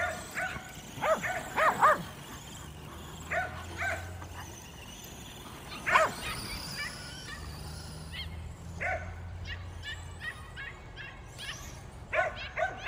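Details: Kerry Blue Terriers at play with a Traxxas E-Revo RC car bark in short, spaced bursts, a few clear yaps every couple of seconds over a steady low hum from the car's motor and some speech.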